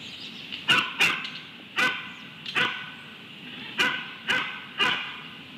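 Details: A coyote at Starr Ranch, California gives sharp, high barks, seven at uneven intervals over a few seconds, with a doubt over whether it is a dog or coyote barking.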